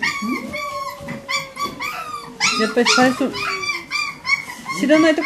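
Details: Whimpering medium poodle puppies produce short, bright squeals and one long, slowly falling whine, with a person speaking in the background. Recorded October 22nd, 2013.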